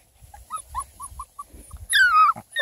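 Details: Seven-week-old Beagle puppies at play with 11-week-old female Black and Tan Coonhound cross pups; a string of short, high, evenly spaced whimpering yips gives way to one loud, drawn-out whine that falls in pitch, with soft rustling underneath.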